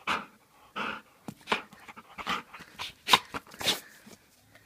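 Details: An aggressive Bull Terrier in Transylvania huffs and pants in short, breathy bursts at an uneven pace.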